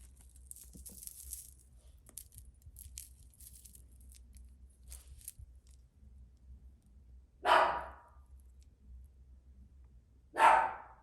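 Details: A pet dog barking indoors: two loud, sharp single barks about three seconds apart, following quiet rustling and light clinking sounds.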